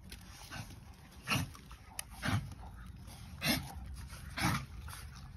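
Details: Puppy letting out short rough yips spaced about one second apart, four clear bursts over faint background hum.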